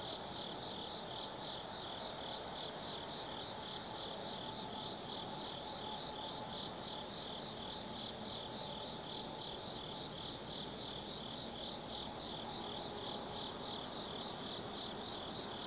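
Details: Night chorus of autumn forest insects at Tsukimi no Mori in Gifu Prefecture, Japan, overlooking the Nobi Plain: continuous shrill trills, one layer pulsing rhythmically about two to three times a second over a low ambient hum.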